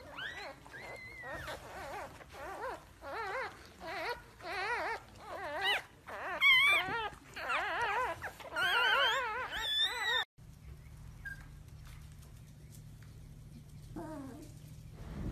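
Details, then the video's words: Pomsky puppies, a husky and Pomeranian mix, whining and whimpering with wavering high-pitched cries in a busy overlapping run for about ten seconds, then a quiet stretch with a steady low hum and one brief squeal near the end. "Pomsky Puppies | Husky/Pomeranian Mix"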